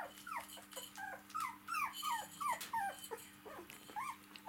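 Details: Four-week-old puppies of a domestic dog at play with their mother on her back; quick, thin yelps and squeaky whines with falling pitch, several per second, against hissy background noise and a low hum.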